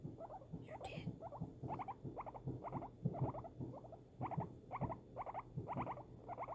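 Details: Female pet guinea pig reacting to fireworks, giving short, stacked, buzzy chirps in an even run of about two per second. A brief higher burst sounds near the first second, and a low hum runs underneath.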